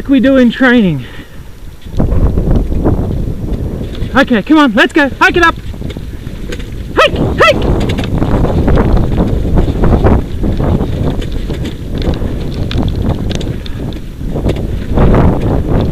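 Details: Sled dogs in a 6-dog heat at a 2012 sled dog race in South Australia. A burst of high, wavering, yelping cries opens the clip and a second run of yelps follows. Heavy rumbling, clattering noise fills the rest.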